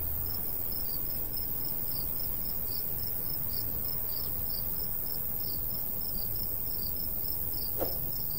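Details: Rapid, regular high chirps from crickets in a golden wheat field in summer countryside, a soft breeze rumbling low, with one brief sharp click near the end.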